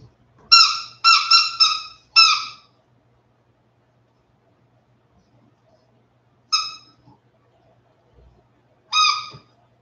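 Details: Westie puppies aged 47 days, indoors after an outdoor break, give a loud burst of four short, high, clear whines in quick succession, then two more single whines spaced a few seconds apart, with silence between.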